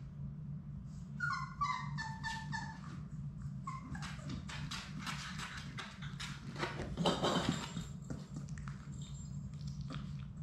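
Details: Labrador Retriever puppies, a litter of six from mother Sadie, playing indoors in their play room; a run of short, high, wavering whimpers early on, then scuffling, thumping paws and play noise over a steady low hum.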